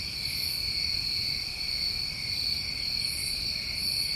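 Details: Chorus of New England summertime crickets at night, a steady high trilling band with a lower continuous band beneath, and faint higher pulses at about 0.5, 3.1 and 3.8 seconds.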